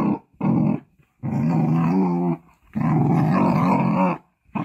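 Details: Female Jindo dog named Gyepi, born 27 July 2019, growling indoors as a stranger opens the door and enters the house; four sustained low rumbling growls, each about a second long, separated by short silent breaths.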